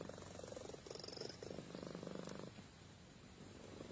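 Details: Domestic cat Amy purring while sleeping: a loud pulsed rumble for about two and a half seconds, then it fades to a quieter, softer purr.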